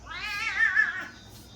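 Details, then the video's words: Domestic cat making a drawn-out wavering "ghost" meow for her owner indoors, a single long harmonic cry swelling and wobbling in pitch for about one second, then fading; faint background music. "Kitty Bop does the GHOST!"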